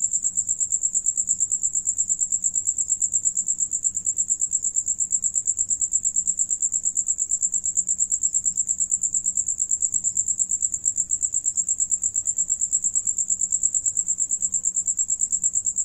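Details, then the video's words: Several crickets sing while one feeds; a continuous high-pitched pulsing trill, very even, roughly eight beats a second, over a quiet low rumble with no other voices. "Sonido de Grillo"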